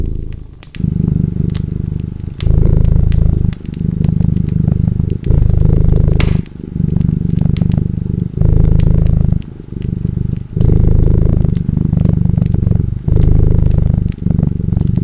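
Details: Steady cat purring, a deep rumbling buzz repeating in breath-length swells about every one to two seconds, accompanied by frequent crisp crackles of a burning fireplace.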